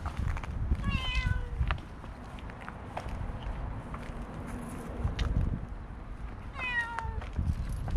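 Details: Stray cat met on a walking path while being petted, with other cats approaching; two short falling meows about six seconds apart over steady low rumbling outdoor noise.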